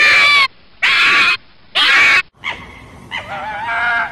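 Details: Red fox uttering three loud, harsh, rasping screams of about half a second each, evenly spaced. These give way to softer, wavering whines that trail off.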